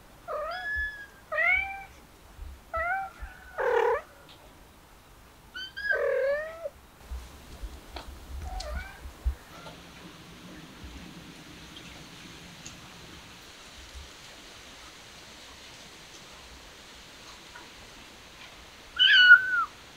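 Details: Stray kittens mewing in a rapid burst of about six short, arched meows in the first nine seconds, then a long quiet stretch with faint hum, and one last high meow near the end.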